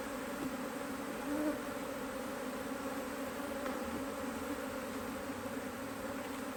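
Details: Busy honey bees in a HiveIQ hive in Australia during near mid-Autumn 2023, the hive opened to add another box; a continuous thick buzzing drone, with a brief louder swell near the start, fills the whole stretch.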